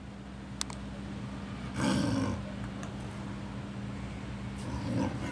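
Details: Snow leopards Akbar, male Yamato and female Yukko at Maruyama Zoo, kept in neighbouring enclosures and communicating across them, filmed 22 July 2010; one rough, breathy burst lasting about half a second over a steady low hum.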